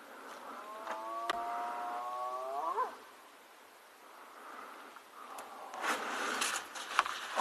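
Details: A spotted hyena (Crocuta crocuta) close by near a den area on an evening safari gives a long hollow whoop swooping sharply upward, a call to locate clan members and seek help.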